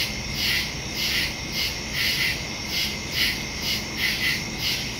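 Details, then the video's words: Woodland crickets calling at night, September 2, 2023, phone and stereo mic recording: bright high chirps pulse roughly once per second, layered over a constant thin trill, with faint low hum beneath. "Crickets in the woods at night"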